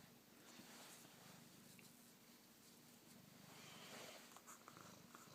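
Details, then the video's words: Domestic cat purring loudly up close indoors, curious about a phone camera and pushing his face toward it; a steady low rumbling purr with rapid regular pulses throughout, faint handling noise. "Cat Purring Loudly"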